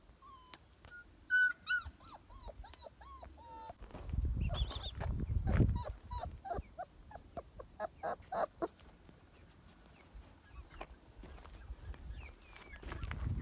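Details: A one-month-old German Shepherd puppy whimpers in thin, high, wavering whines, some rising and some falling; recorded in San Dionisio Ocotepec, Oaxaca, in 2022.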